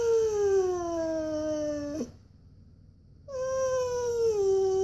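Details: Indoor Siberian Husky named Koa whining for a walk: a steady tonal whine gliding downward, a short silence, then another long, slightly descending whine.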